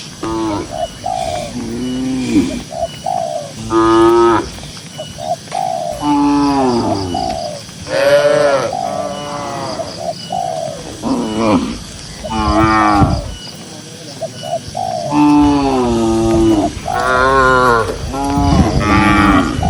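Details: Cows, dozens grazing in a green pasture: repeated bending, drawn-out moos from several animals overlap across the recording, mixed with short, soft cooing notes like pigeons and steady background noise.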